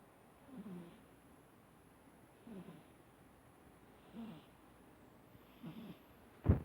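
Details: Domestic cat Harley Quinn, a 14-year-old female, asleep and snoring: four soft, low, breathy snores roughly every one and a half to two seconds, ending with a sharp knock.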